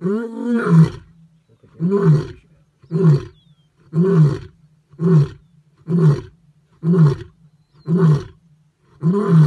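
A lion roars: one long, deep moan, then a run of short, booming grunts about once a second.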